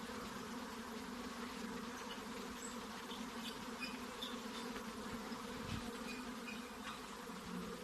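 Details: Honey bees buzzing in a constant low, layered hum, with faint high chirps dotted above it and one dull thump toward the end.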